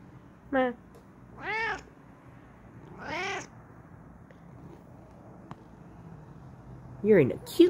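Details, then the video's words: Excited yelling from Kokoa, a Bengal cat in her new chair: three drawn-out, bending meows in the first few seconds, then a quiet pause, then a sharper rising cry at the end, while a person talks softly nearby. "Kokoa Yells Excitedly In Her New Chair"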